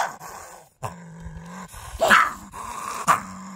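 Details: Gray fox producing a low continuous growling tone broken by two loud, raspy barks about a second apart near the end.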